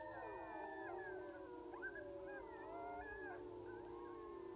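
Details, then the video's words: Sixteen timber wolves howling together on a distant hill in Wrangell-St Elias National Park, southeastern Alaska, September 2018, filmed by iPhone through a spotting scope at about 700 yards; many long, layered sustained howls at different pitches form a continuous wailing chorus. "Sixteen Timber Wolves Howling on a Hill in Southeastern Alaska"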